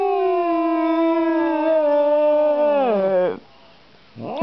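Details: Pet female cat that gets angry around strangers gives one sustained, harmonically rich yowl lasting over three seconds, which bends down at the end before a brief rising wail begins.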